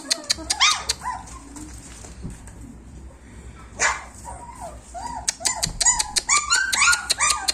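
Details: Sparse, thin whimpers from German Shepherd puppies aged 26 days come amid crisp clicking taps and a brief scuffle. The crying grows into a busier run of short yelps toward the end.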